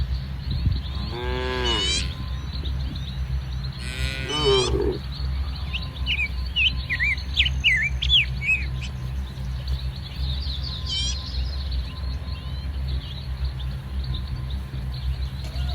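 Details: Dozens of tame cattle in mixed brown to jet-black coats roam a muddy, green rice-paddy field in soft morning sun. Two drawn-out, harmonic moos sound at one and four seconds over a steady low rumble, with small birds chirping throughout.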